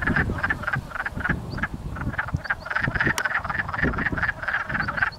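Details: Wood frogs mating in a pond at Blackfalds, Alberta, calling as a crowded chorus of short, hoarse clucking croaks, many callers overlapping in quick succession.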